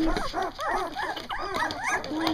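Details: A litter of two-week-old Doberman puppies, eyes newly open, finding their barks: a busy chorus of high arching squeaks and yelps overlapping several times a second, with a steady whine and a woman's voice softly talking.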